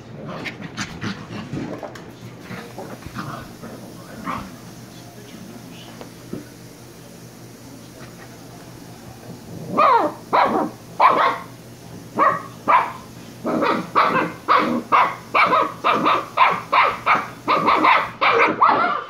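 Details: Shiba Inu pup (Kyno and Niro) barking. The first half is mostly human talking with faint whimpers. Then comes a steady run of quick, high barks about twice per second.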